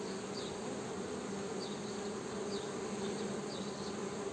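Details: Continuous low buzzing of honey bees, an even droning hum with a clear overtone above it, steady in loudness throughout, with a few faint high chirps in the background.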